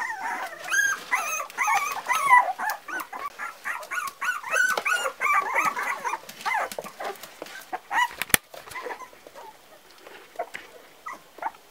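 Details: Several Parson Russell Terrier puppies, four weeks old, whimper in a busy overlapping chorus of thin wavering squeaks, loudest early on, with a sharp click near the end as the cries thin out to scattered peeps.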